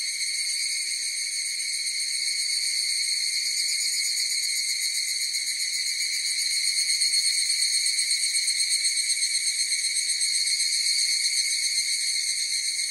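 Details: Several higurashi cicadas singing together in a long, even, high-pitched trill that swells slightly in loudness midway, pulsing rapidly and never pausing.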